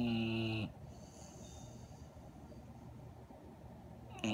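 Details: A 1½-year-old female Redbone Coonhound in Syracuse, NY, on 6 February 2017 snores asleep, eyes open and tongue out, each breath a deep, buzzy, rattling rumble, with a quiet pause before the next snore.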